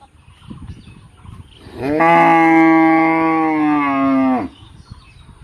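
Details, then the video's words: A single long, even moo from a cow, holding a flat droning tone for nearly three seconds before cutting off, against faint low background noise. "गाय की आवाज"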